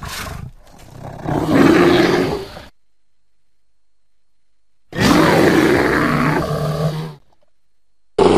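A bear gives two deep, rasping roars, each lasting about two seconds, separated by silence.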